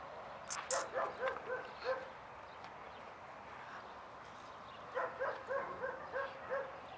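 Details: Barking from German Shepherds at the start of a social class, dogs reacting with excitement; distant, fairly quiet barks in two quick runs of about five each, separated by a lull, over steady room noise.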